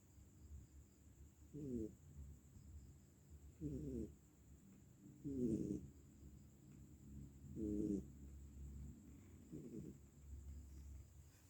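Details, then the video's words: Bobo, a pet cat asleep and seemingly worn out, snores in five raspy, low-pitched bursts spaced about two seconds apart, each a short buzzy breath, over a faint steady background hum. "sepertinya kelelahan, Bobonya ngorok"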